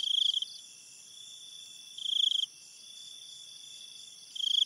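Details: A cricket at night in a forest beside a river gives bright, pulsed chirping trills about every two seconds over a steady high insect hum.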